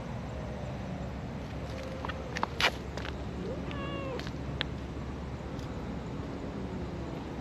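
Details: Affectionate brown tabby-and-white park cat being stroked lets out a short, arched, bending meow just past halfway, between brief clicks and handling noises. Steady low rumble behind.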